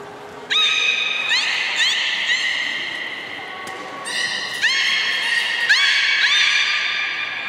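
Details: Captive belugas, Port of Nagoya Public Aquarium, 30 March 2019, at feeding and play time. Repeated rising chirps with rich overtones, several a second in bursts, broken by a lower steady tone.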